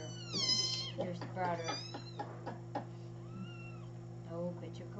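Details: High, thin kitten mews from little kittens on 13 May 2017: a sharp falling cry, a second quavering one, then a softer arched mew, about three or four calls over a low electrical hum with faint voices.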